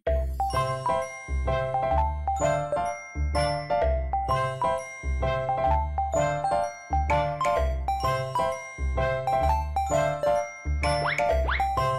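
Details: Bright chiming bell-like music plays throughout with a steady rhythm, and no animal sound is present.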